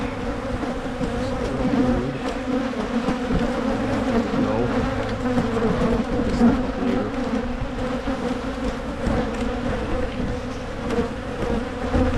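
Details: Continuous hum of many honey bees while hives are split in Michigan to try to prevent swarming. The deep, even buzz carries a steady low pitch, broken only by occasional soft knocks.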